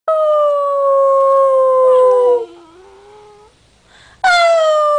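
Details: Dog howling: two long, steady tones that slide slowly downward, a short quieter wavering stretch, then a new howl starting high and falling.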